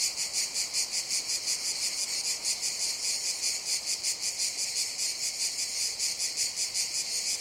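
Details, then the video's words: Cicadas buzzing in a jungle during summer: an intense high-pitched drone that swells and pulses in quick, slightly uneven beats, nearly three per second, filling the clip without pause. "CICADAS BUZZING SOUND"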